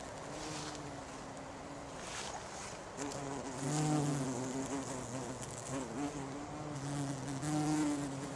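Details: A bumblebee (Bombus) on a flower gives a low, droning buzz that wavers in pitch and loudness as it moves about.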